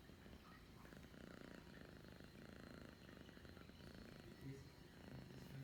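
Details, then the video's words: Domestic cat purring on an afternoon in December 2021, a low continuous rumble pulsing in steady breaths, quiet and close, with faint human speech in the background. "my cat purrs and then sneezes"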